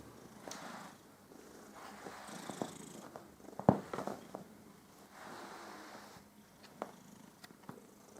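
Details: Domestic cat Püppi purring contentedly while her fur is groomed; soft, steady rumbling purr in breathy waves roughly once a second, with brief pauses between, plus scattered sharp clicks and rustling from the grooming.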